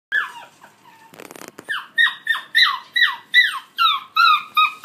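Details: Collie puppies aged 50 and 63 days, filmed 20 July 2013, give high, piercing whines that slide downward, repeated about every half second, after a brief scratchy rustle near the start.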